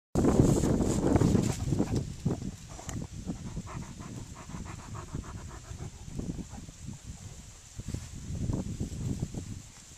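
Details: Alaskan Malamutes, recorded 31 October 2010: heavy, breathy panting in fast, uneven bursts of low rasping sound, several breaths each second, loudest at the start, softer in the middle, building again near the end.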